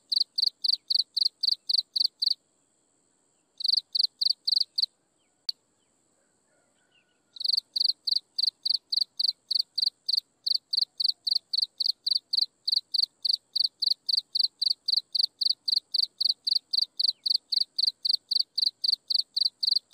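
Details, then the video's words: Sunset insect chirping: rapid rhythmic high-pitched chirps, about four per second, broken by two pauses and a single click, then continuing steadily for a long run; faint steady hum and quiet low background. "Listen to insects chirping in the sunset"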